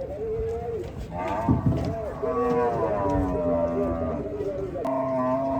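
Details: Gaiya cow at a cattle farm, several overlapping moos and drawn tones, human voices mixed in, steady farm background throughout.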